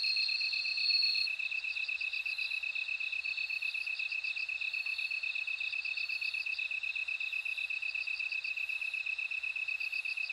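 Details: Bell cricket song in an insect chorus: a steady, high, rapidly pulsing chirp about four times a second, with a brief bright ringing tone at the start and bursts of higher bell-like trills above.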